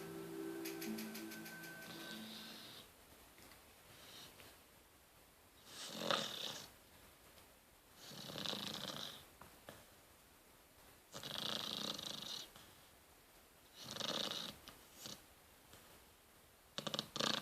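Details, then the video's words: Rottweiler puppy snoring while asleep: a brief musical jingle opens, then breathy, raspy snores in uneven bursts about every two to three seconds, some drawn out, with quiet pauses between. "Cute snoring Rottweiler puppy."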